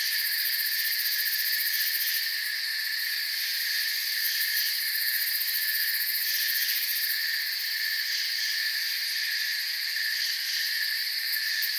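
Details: Soft night chirping of crickets beneath a forest canopy: a continuous, buzzing wall of high insect trills from many callers, steady in loudness, with faint rhythmic pulsing in the upper tones.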